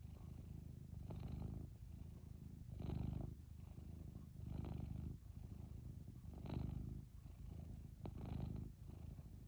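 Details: Cat lying on its owner's lap purring loudly, a deep continuous rumble swelling and fading in slow breaths about every one and a half seconds.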